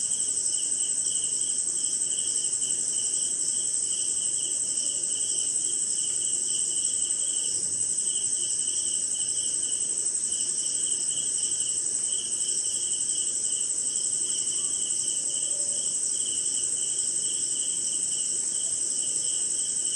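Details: Night insect chorus of crickets recorded during rain in India, a constant piercing high trill layered with rhythmic lower pulses repeating roughly every half second, faint diffuse noise underneath.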